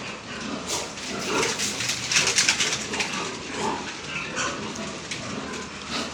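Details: Newly weaned piglets of the third and fourth batches in a farm piggery, weaned November 27; several sharp, noisy squeals and grunts overlap, peaking in a loud burst midway, over constant pen clatter and background hiss.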